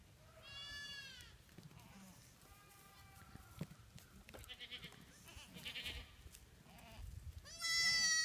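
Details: Spanish and Spanish/Kiko cross goat kids playing on rocks at a ranch during tagging in 2014; loud, wavering, harmonic bleats open and close the clip, with softer bleats in between and some handling noise.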